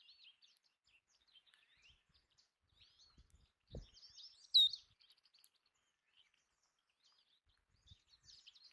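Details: A single piercing high squeak from Belding's ground squirrels (sage rats) feeding on bird food, rising above quieter chattering songbirds and a brief low knock.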